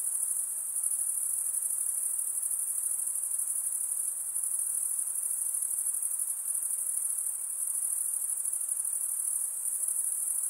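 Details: A steady nocturnal insect chorus: sustained shrill cricket-like ringing at high pitch, evenly loud across the whole stretch, backed by a soft wash of fainter chirring below.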